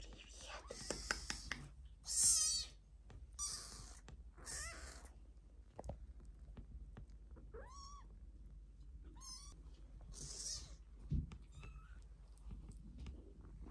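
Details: Two tiny black British Longhair kittens, brothers born March 13, 2021, meowing and talking: thin, high, wavering mews that come singly and a few seconds apart, between short hissy rustling bursts and soft handling noises.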